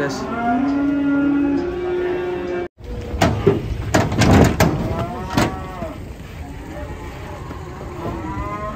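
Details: A frightened cow being unloaded from a truck on a Saturday lets out a steady, sustained moo at the start, then sharp bangs and clatter follow, with fainter moos and people's voices later.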